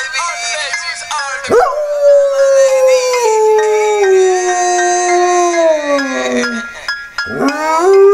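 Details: A domestic dog sings with a long, loud, tonal howl. The howl slowly slides downward in pitch over several seconds, breaks briefly, then starts again on a higher note.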